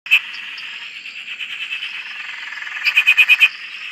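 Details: Frog chorus at a farm dam in Australia: a dense, continuous bed of trilling calls with one louder burst of rapid pulsed croaks near the end.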